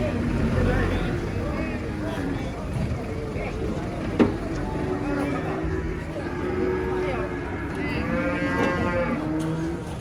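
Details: Enraged giant cow during loading under a tree believed haunted, giving low, rough lowing calls with a brighter bellow near the end, beneath steady crowd and engine-like rumble and one sharp knock.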